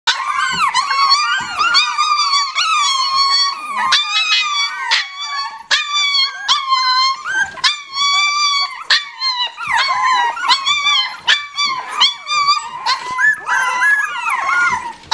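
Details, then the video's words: Fifteen Lhasa Apso puppies in a play pen cry together in high, wavering whines mixed with small yips as they learn to bark. "15 lhasa puppies in play pen crying learning to bark silly"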